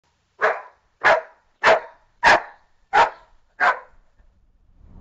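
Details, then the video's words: Dog barking: six loud, sharp barks spaced roughly 0.6 seconds apart, each a brief broadband burst, followed by near silence. "Bark Woof"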